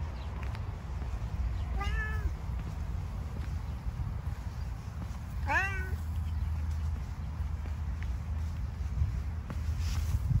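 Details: A homeless stone-coloured cat living in stones on the street, given food, makes two short rising meows about four seconds apart against steady low outdoor rumble and faint clicks.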